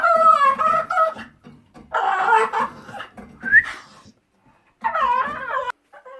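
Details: Pet dog indoors in a small room, calling to get its owner's attention with dolphin-like noises: high, wavering, squeaky whines in bursts, separated by short silences, with one brief rising squeak near the middle.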